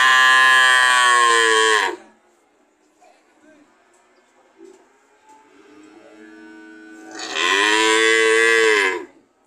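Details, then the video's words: Two loud, sustained moos from a cow, one at the start and one near the end, separated by a quiet stretch with faint background noise. "Sound of cow"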